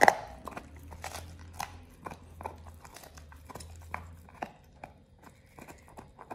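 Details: Pit Bull Oliang gnaws a raw ostrich paw, his first one. There is a loud crunch at the start, then scattered crackling bites and softer chewing, over a steady low hum.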